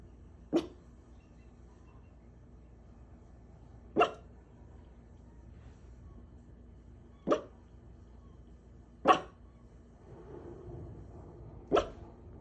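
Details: Scruffy dog barking out of the window, giving five single, clipped barks at irregular gaps of two to three seconds, with faint low rumbling in between.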